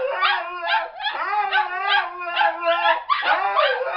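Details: A Siberian Husky howls in long, wavering, sing-song tones that slide up and down, trained to sing together with two other dogs.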